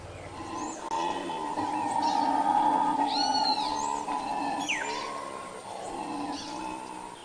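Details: A troop of black howler monkeys (Alouatta caraya) in the Pantanal, at least three or four seen including a brown female, gives a drawn-out moaning roar that rises and falls, audible for miles, with birds chirping above.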